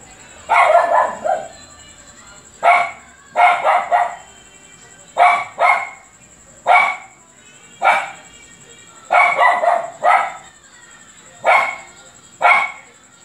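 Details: Persistent barking from a dog called Luphe: loud, gruff, harmonic barks fall singly or in pairs and triplets at uneven intervals of about one second, about sixteen in all, over a continuous faint high-pitched whine.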